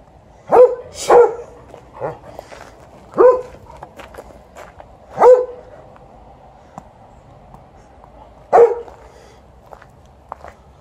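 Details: Elderly male Golden Retriever TJ, 12 years old, barking to ask for a game of fetch during 'ball time' after a morning walk, with Alaskan Malamute Liza nearby; sharp, clear barks, about six in eleven seconds, irregularly spaced, some in quick pairs.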